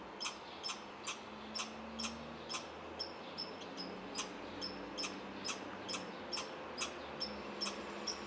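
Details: A young red squirrel in a backyard barks for unknown reasons in a steady series of sharp, high chips, about two every second.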